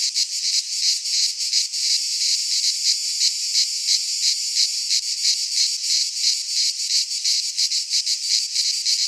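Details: Cicadas of the Greek countryside singing in a pine forest in midsummer; a shrill, grating buzz with rapid pulsing and occasional brief surges, continuous from start to finish.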